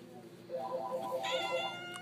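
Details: Cat in a pet store giving a wavering, mewing cry that rises into a brighter, harmonic-rich meow near the end, with a person speaking softly to it.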